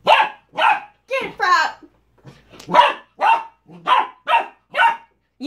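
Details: Corgi puppy at play with a cow hoof, barking in a steady string of about ten sharp, high yaps with short gaps, a few mixed with whiny sliding notes.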